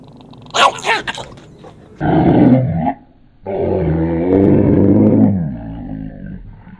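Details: Chihuahua growling aggressively at a person indoors, a low rumbling growl in two long bursts after a short higher snarl, with a man's voice asking whether it wants to bite his head off.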